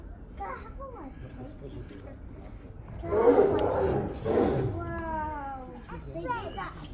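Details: An angry Sumatran tigress in London Zoo's Tiger Territory lets out two harsh, rasping roar bursts at her mate as both rear onto two legs, amid excited visitor chatter.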